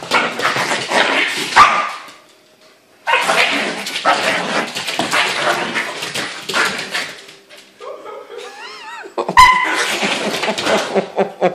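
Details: Two pet dogs playing: Bandit, a husky puppy of three and a half months, and Canolli, a yorkie-poo of about two years. Long bursts of rough, noisy growling and barking, a pause, then a wavering high whine and more growls, with faint human voices.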